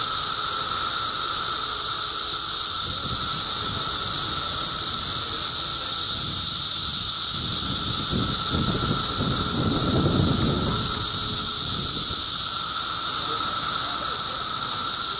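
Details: Many cicadas in Middlesex County, New Jersey, June 2013, keep up a loud continuous shrill buzzing and an underlying lower drone. Low rustling or handling noise swells in the middle of the recording.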